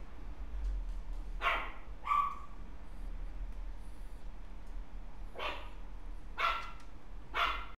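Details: Dog filmed on November 19, letting out a few isolated short barks and yips spaced a second or more apart over a steady low background rumble.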